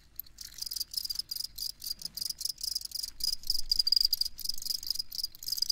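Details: Crickets chirping: a high, bright, pulsing chorus of rapid chirps that rises and falls in loudness, broken by brief gaps, with no other clear sounds.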